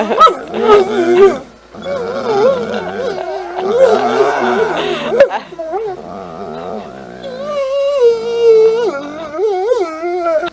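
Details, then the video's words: Talking dogs Moe and Mollie make a string of modulated, yodel-like moans and whines that rise and fall as if speaking, broken by brief pauses, ending with a long wavering tone; human voices prompt them at times. "Talking Dog Talking Dogs Talking like humans talking dog says momma"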